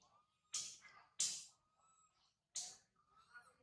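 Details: Infant monkey Sario crying loudly high in a tree after her mother Sarah left her; three harsh, shrill bursts about a second apart, linked by a faint thin, steady whine.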